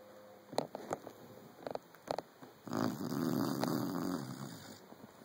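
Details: A five-month-old Saint Bernard puppy asleep and snoring: a few soft scattered clicks, then a sustained, breathy, rasping snore of about a second and a half, fading into quiet room noise.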